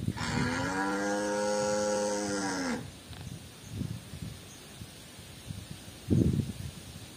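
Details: Tame white village cattle wandering loose in a garden: one long, rich moo lasting nearly three seconds, followed by quieter rustling, thuds and faint background noise.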